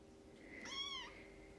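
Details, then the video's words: Foster kitten, about three weeks old, in a litter of eight with their mother cat, gives a single clear harmonic meow lasting about half a second, gently arched in pitch, over a steady low indoor hum. "Kittens Nursing, Purring, Playing"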